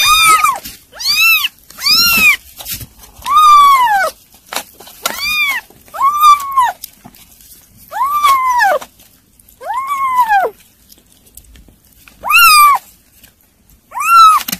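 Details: Weaning kittens meow insistently while being fed, a steady run of about a dozen arched, high cries spaced roughly one to two seconds apart, some overlapping, in an otherwise quiet room.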